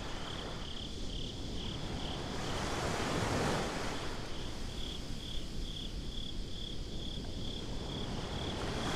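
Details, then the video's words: Crickets chirping after dark at the beach, captured binaurally: rapid, evenly pulsed high chirps persist throughout while breaking waves roar up in the middle and wind hisses below. "Crickets at the Beach"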